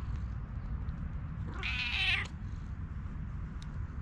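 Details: A friendly stray cat, found by chance in a forest and fond of being petted, gives one drawn-out, slightly wavering meow lasting under a second against a steady low outdoor rumble.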